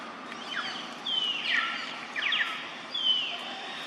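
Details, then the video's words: Young monkey Jody, son of mother monkey Jane, calling noisily while eating fruit: loud high squealing notes sliding downward, in bursts about every second, over steady outdoor background hiss. "Her Son Jody Make A Noisy While Eating Fruit"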